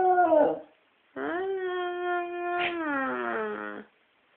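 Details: Pet dog singing: a brief wavering howl, a short pause, then a long, level, rich-toned howl held for over two seconds that ends in a wobbling, downward-gliding tail.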